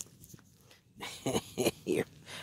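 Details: Ten-week-old Toy Poodle puppies at play, one having just given up chewing a leaf; three short, bright yipping barks follow one another about a third of a second apart, with soft rustling and a quiet room around them.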